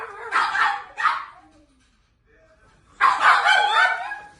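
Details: Pet pugs at their daily howl party, held at 5 am and again at 5 pm: two short, rough yowling bursts, a quiet gap, then a longer wavering, harmonic howl that rises and trails off.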